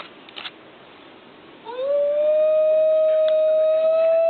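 A New Guinea singing dog gives a pure, clear howl that slides upward, then holds one steady, ringing note. A few faint clicks come before it.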